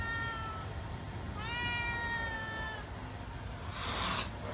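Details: Feral cat waiting to be fed and shy of people gives two drawn-out tonal meows, the second longer and slightly rising at the start. A person speaks Vietnamese, urging it to eat, and a brief hissing noise follows.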